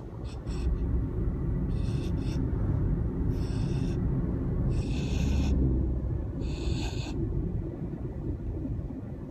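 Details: Siberian husky snoring like a pig on 10 August 2015: breathy, hissing snorts roughly every one and a half seconds over a steady deep rumble.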